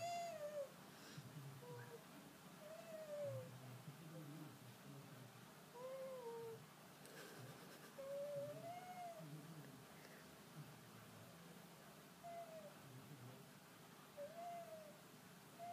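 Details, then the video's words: Ray, a pet red fox, tired and displeased at being woken from a daytime nap indoors, gives soft arched whining rumbles, rising then falling, roughly every one to two seconds, with a faint human voice coaxing him awake. "RAY THE FOX'S DISPLEASED RUMBLING"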